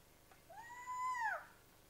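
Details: Kinkajou at San Isidro, Ecuador: a single drawn-out tonal call of about a second that slides up, holds steady, then drops away at the end, clear and harmonic-rich against a quiet background.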